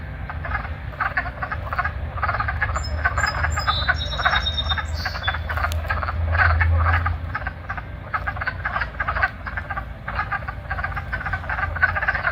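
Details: A chorus of wood frogs at a vernal pool in late March gives low, duck-like clucking croaks in a dense, rapid stream while seeking mates. Birds call in the background.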